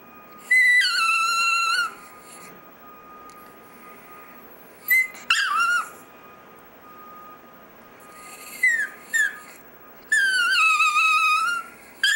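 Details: Pet chihuahua named Dexter "singing" at home: long, high, quavering howls that start sharp and fall into a sustained wavering tone, three main drawn-out notes with a few short squeaky yelps between them, quiet room otherwise.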